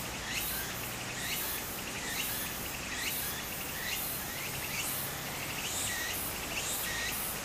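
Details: In Japan during summer, a cicada near a flowing stream gives a rhythmic, buzzy song pulsing roughly once a second, with short high chirps between beats and constant water noise beneath.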